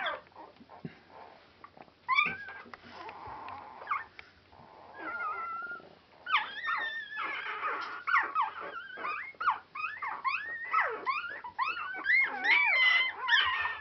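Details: Four-day-old Border Collie puppies at Clannad Border Collies, Super Sunday 2012, start with scattered quiet whimpers, then build into rapid overlapping high whines and squeals that rise and fall, over a faint low hum.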